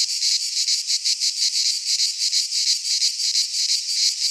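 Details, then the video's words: Singing cicadas in midsummer Greek pine woodland, a piercing buzzy drone beating in quick even pulses about three each second, nothing else audible. "Cicadas singing in midsummer - Nature sounds from the Greek fauna - Sounds of cicadas"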